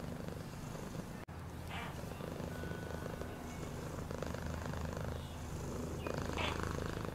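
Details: Domestic cat purring, a steady low rumbling throb with fine rapid pulsing held throughout, broken once by a sharp click near the start; faint rustling and soft higher hiss bursts over the top.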